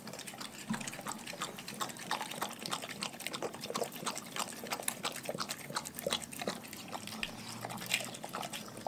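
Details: Raw-fed pet dogs eating, giving a wet, fast stream of smacking and crunching clicks, moist and slurpy in texture, dense and even throughout with a faint low hum behind.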